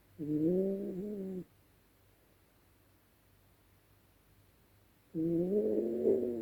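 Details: Dezi, a female Yorkshire Terrier asleep at night, snoring: two drawn-out, wheezy, tonal snores of about a second each, separated by several seconds of quiet breathing in a small indoor space.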